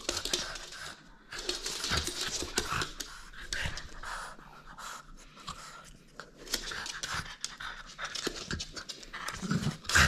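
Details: Playful French Bulldog holding on to a toy it will not surrender, breathing in rapid rough pants with short pauses, alongside scuffling and handling noises indoors.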